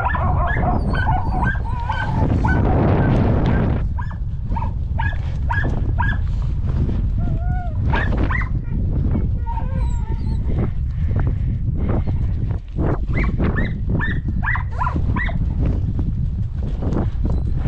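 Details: Podenco hunting dogs on a rabbit hunt, rabbits caught by the dogs' teeth: a rapid, uneven series of short sharp barks and yips throughout, with heavy wind rumble and a man calling.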